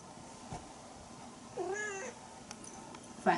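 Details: Bengal kittens, the young of Aurora and Coco, romping together during teaser play: one short rising-then-falling meow with clear harmonics, surrounded by quiet room noise and a woman's voice talking nearby.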